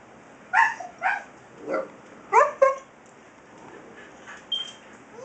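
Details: Siberian Husky puppy talking back to its father with a series of short, high yelping barks and whiny yips, about five bursts over a few seconds, then softer whimpers; quiet background.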